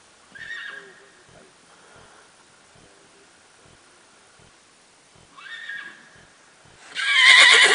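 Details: A bay barefoot Tennessee Walking Horse mare under a young rider whinnies twice, about five seconds apart. Each whinny is a short, bright, falling squeal. Soft hoofbeats tick steadily between the calls, and a loud noisy burst comes at the end.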